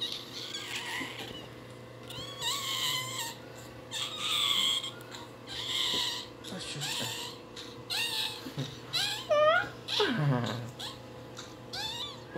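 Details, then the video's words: Newborn Shih Tzu puppy crying in a long series of short, high, bending yelps and squeaks, several per second at times, ending in a sharp downward slide, over a low background hum. "Crying puppy newborn shih tzu"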